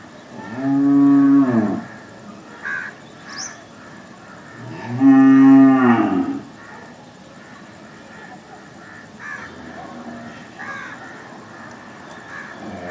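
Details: Two deep, even cow moos roughly four seconds apart, each about a second long with a slight rise and fall, followed by a longer quiet stretch of low background noise.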